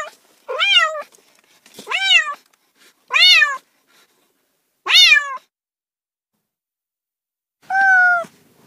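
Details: Pet cat giving five sharp meows with pauses between, the first four bright and arched, the last a flatter, steadier mew after a long silence; otherwise quiet.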